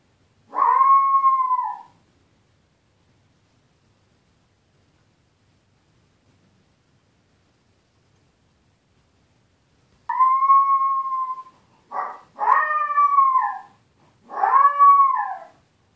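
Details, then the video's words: Young dog Tito, alone with his owners away, gives a long falling whine, then about ten seconds of silence, then a burst of several quick, bending cries and yelps close together. "Puppy Tito crying when his owners are away"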